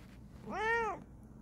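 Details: Bengal cat investigating something gives a single clear meow, rising then falling in a smooth arch, about half a second long, against quiet room background.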